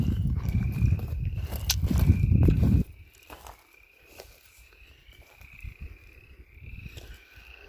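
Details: Several frogs calling from a small pond in the woods. Their high, rapid trills overlap steadily throughout. Footsteps and a man talking cover the first three seconds, after which the pond chorus is clearer but faint.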